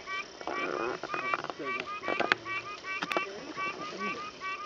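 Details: Pine Barrens treefrogs in Alabama, heard at a frogging-by-ear workshop, call with brief, nasal, honking notes repeated several times a second in a steady series while a man talks over the chorus.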